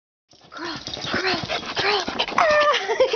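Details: Small pet dog crawling as a trick, giving a run of thin, high whining whimpers that rise and fall in short arcs, growing louder toward the end, with a person's brief word of praise after.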